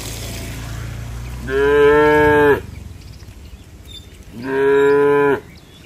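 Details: Domestic cows rushing to the barn in rain under sunny skies; two steady, full-throated moos about three seconds apart, each lasting around a second, over a light hiss of background noise.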